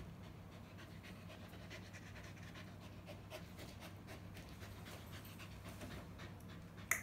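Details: Playing with its owner, LUCKY, a dog with a disability since birth, breathes in quick uneven huffs. A low hum runs throughout, and a sharp click sounds at the very end.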